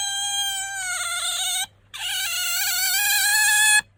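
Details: Bingo the pet otter squeaks to appeal for attention or when sleepy. A long, steady, shrill whine wavers slightly, breaks off briefly, then resumes even louder and sustained to the end.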